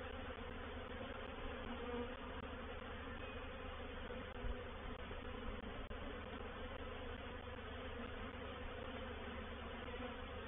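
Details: Honey bee reproductive swarm settling into a bait hive at Painted Peacock Manor on 04/07/21; an unbroken, many-voiced humming drone holds steady, with one faint bump near the middle.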